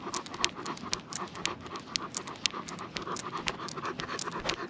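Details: Great Pyrenees Lucia out walking at night with a Golden Doodle companion, Timmy; fast, light breathy panting runs continuously at roughly two breaths per second, soft and slightly irregular, with low rustling underneath.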